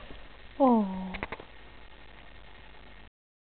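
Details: Boston Terrier Chloe, a new pet, meeting her reflection in a mirror indoors: one clear whine that starts higher and drops, held for about half a second, followed by a brief soft clatter and quiet room noise.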